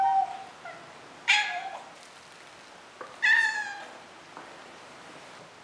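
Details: Maine Coon cat named Moose meowing indoors, from a comparison of his kitten and adult voices: a short high meow, then two louder harmonic-rich meows about two seconds apart, each rising then falling.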